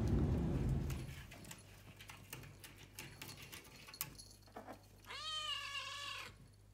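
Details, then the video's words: Pet cat Luna at home in Japan at 6 am, waiting for the family to wake; clattering and knocks fill the first seconds, then one long, level meow near the end. "Luna meowing first thing in the morning 6am"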